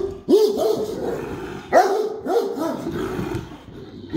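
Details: ['A few low, booming barks from a Great Dane, spaced more than a second apart, with a rumbling tail after each.']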